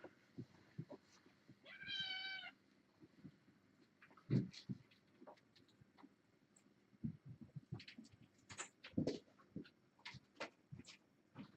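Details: Kitten from a litter of four females and two males born August 29th, playing indoors while a webcam is replaced: one short, clear harmonic meow lasting about half a second, followed by scattered clicks, taps and thumps of movement.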